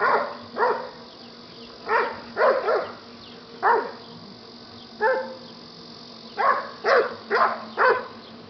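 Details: Yellow Lab rescue dog named Buddy play fighting, letting out around a dozen sharp, rich-toned barks, singles and quick clusters at irregular intervals, with a faint constant background hum.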